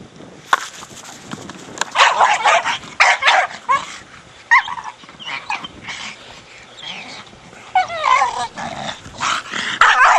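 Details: Four-year-old Staffordshire Bull Terrier playing with a big hard plastic ball, giving bursts of rough barks and growly vocalizations in quick irregular clusters, some with wavering whine-like tones.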